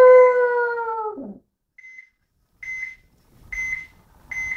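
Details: Sammy, a pet dog called a little wolf, gives a long, steady, drawn-out howl rich in overtones that sinks in pitch at its end, followed by short, high, repeated electronic beeps in a quiet room.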